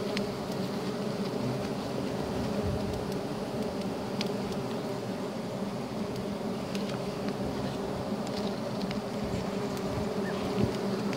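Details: Giant honey bees (Apis dorsata) buzzing as honey is hunted: an unbroken mass drone lasting the whole stretch, with scattered clicks and rustling on top and some low rumble.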